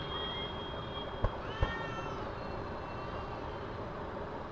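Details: Carpark fight between two cats: a faint, long, sustained yowl with a thin high tone and a brief bending wail, half-buried under heavy low traffic rumble and two sharp knocks.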